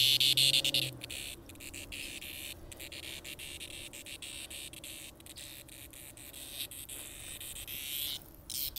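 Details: Cicadas found on sidewalks in 2020, a steady high hiss-like buzz with brief breaks, under a short tonal note at the start and rustling handling noise.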